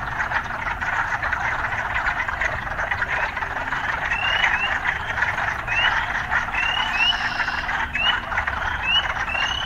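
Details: Frogs heard amid occasional urban sounds: a continuous croaking chorus, joined midway by a series of short rising chirps repeated at irregular, roughly one-second intervals, over a low steady hum.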